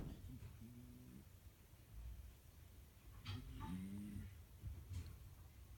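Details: Sleeping domestic cat, nearly 14 years old and not ill, recorded in February 2017, snores softly: low rumbling breaths with faint rising buzzy tones on each inhale, repeated every couple of seconds, very quiet against room hiss.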